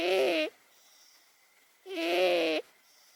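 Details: An 18-year-old cat named Momo asleep and snoring: two drawn-out, nasal, buzzy-toned snores, the second longer at about three quarters of a second, separated by over a second of near silence.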